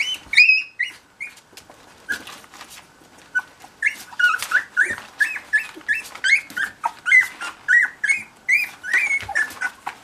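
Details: Cocker Spaniel puppies with their mother, giving a rapid series of high squeaky whimpers and squeals, each short and sliding, repeated several times a second with brief gaps, with faint rustling between calls.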